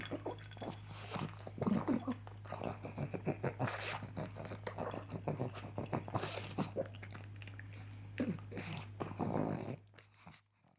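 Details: Breakfast sausage devoured by Coco, a pug: busy wet chewing, licking and snuffling with occasional louder slurps, a low indoor hum throughout, fading to quiet at the end.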